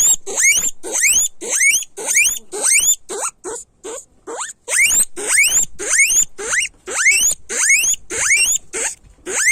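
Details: Repeated shrill rising squeals from a guinea pig, about two per second, with a short run of quieter clipped squeaks near the midpoint.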